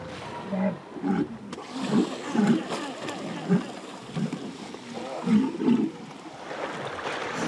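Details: Walrus colony packed tightly together, rubbing against one another, feeling safe in the group as night falls; grunts said to form a language. Short low throaty grunts repeat irregularly, roughly every half second to second, over a soft background hiss.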